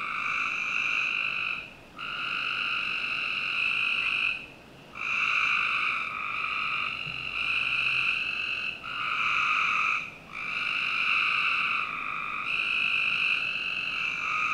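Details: Frog chorus at night in summer, recorded in a Northern Virginia home's backyard: a series of sustained buzzing trills, each roughly two seconds long, broken by short dips, with several callers overlapping.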